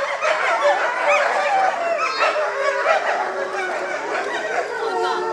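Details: Captive gray wolf pack at Higashiyama Zoo, parents and six offspring born 2010 and 2011, in a group howl; many overlapping voices slide up and down, with short yips and quavering notes woven through the chorus.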